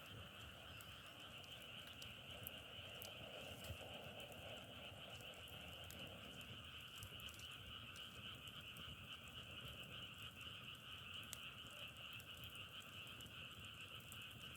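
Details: A frog chorus drones on without pause, a shimmering layered trill, accompanied by occasional snapping crackles of firewood burning nearby and a soft low murmur midway.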